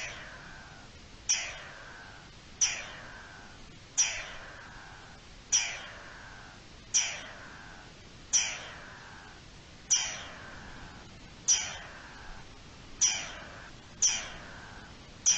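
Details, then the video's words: Garden dormouse giving alarm calls, dated 03-04-21: a steady series of harsh, hissing calls, each opening with a sharp high note and sliding steeply downward, repeated roughly every one and a half seconds against a quiet background. "Alerta del lirón careto"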